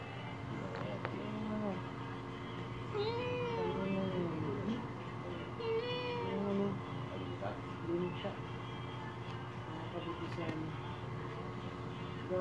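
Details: Angry little kitten giving a run of short, arched, rising-then-falling meows, clustered around the third to sixth seconds with fainter ones later, over human voices talking and a steady low hum.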